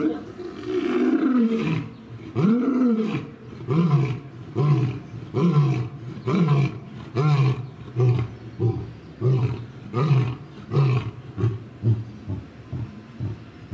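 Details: Lion roaring: two long, deep moaning roars open the bout, followed by a steady series of shorter, grunting roars that grow quicker and softer toward the end.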